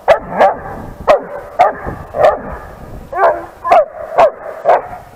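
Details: A 10-month-old female long-coat German Shepherd barks at other dogs in a rapid series of sharp, full, mid-pitched barks, about two a second, forceful with some throaty roughness.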